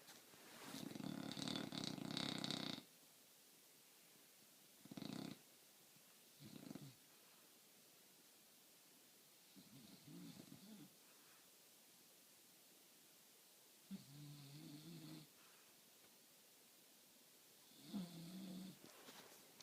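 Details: Bulldog sleeping and snoring loudly: one long, harsh, rattling snore, followed by several much softer, shorter snorts and breaths spread over the rest of the recording.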